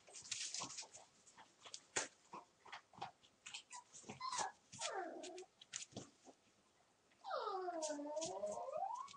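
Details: One-month-old puppies from a single litter at play: quick clicking scuffles and nips, then a short falling whine and finally a long wavering, rising-and-falling squealing whine lasting about two seconds.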